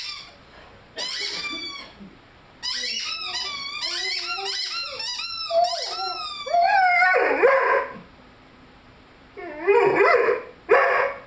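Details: Lyle, a five-month-old Rhodesian Ridgeback, plays with his squeaky chicken toy indoors. Rapid, shrill toy squeaks overlap short bending howls, and a few louder, rougher yelps come near the end.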